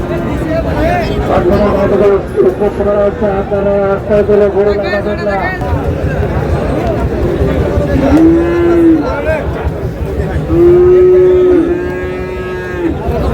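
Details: Bull calves, Friesian and cross-breed, at the Raniganj cattle market, Dinajpur, 26 July; after a stretch of crowd talk, two clear drawn-out lows arrive near the end, each a level tone lasting about a second, amid dense human voices.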